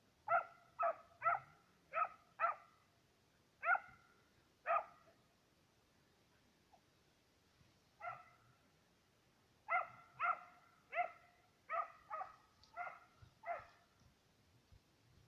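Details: Serbian hounds, two dogs on the trail of fox and roe deer, giving rapid runs of ringing harmonic bays separated by short silences, some calls overlapping as both dogs give voice.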